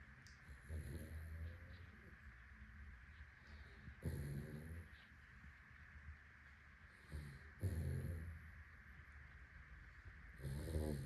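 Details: Sleeping Labrador Retriever named Bruno snores out loud. Short, low, raspy snore bursts come at uneven intervals, two close together near the end, with quiet breathing and a steady faint hum between them.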